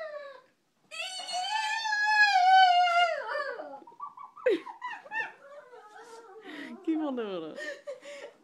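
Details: A Pekingese, coaxed to "talk", makes a drawn-out, wavering moan that slides slowly downward, like a dog trying to talk.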